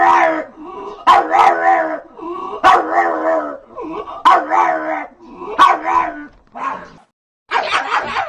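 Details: A dog gives a run of about six loud, wavering yowls in quick succession, one cut short, with a brief silent gap before a final noisy cry.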